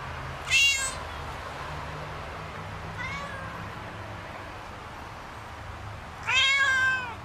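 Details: Domestic cats at play give two sharp, high meows with stacked overtones, one near the start and one near the end, and a faint shorter mew between them, over a steady low background rumble.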